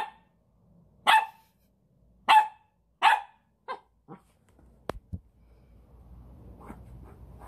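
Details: Pet puppy indoors, barking at its reflection in a mirror it sees for the first time; three loud sharp barks about a second apart, then two softer ones, followed by clicks and faint rustling.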